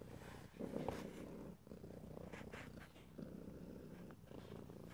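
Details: Close stereo recording of a domestic cat's purr, no talking: a strong low vibrating rumble rising and falling with each breath, a brief dip around the middle, light rustles overhead.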